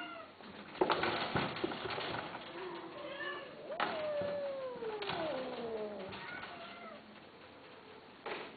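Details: Himalayan and Persian cats. A soft murmur leads into one long, clear meow that slides steadily downward for about two seconds, with faint shorter mews and background hum around it.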